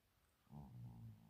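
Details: Chino, an upset male cat, moans in complaint at not being allowed to sit on a chair. A short rising note leads into a low, steady, droning moan lasting under a second, with quiet indoor background.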